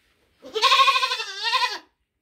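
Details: Single drawn-out baby goat bleat, over a second long, rising slightly at the start and trembling throughout before dropping off at the end.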